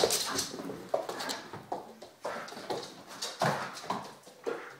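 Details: A Vizsla, indoors on a rainy day, gives short, repeated whimpers and yips, pleading to be let out to play.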